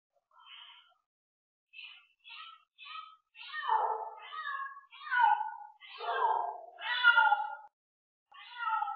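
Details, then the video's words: Bengal cats during mating, a series of about ten wailing meows and yowls, starting as short high calls, then growing longer, louder and more drawn-out with falling tones, separated by brief pauses. "Phối giống mèo bengal"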